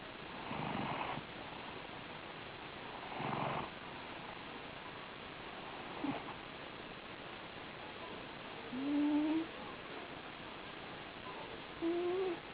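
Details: Sleeping domestic cat snoring softly, quiet breathy bursts recurring roughly every two and a half to three seconds, with a couple of faint thin rising squeaky tones near the end.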